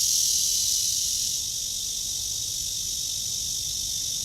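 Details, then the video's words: Morning cicada in a tree, 23 August 2020 at 09:27, blue sky, heard on a walk: an intense, continuous shrill whine, loudest in the first second, then holding an even, unbroken high buzz. "나무에 매미"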